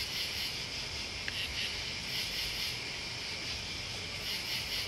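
A steady high-pitched insect chorus of crickets, pulsing and shimmering without pause.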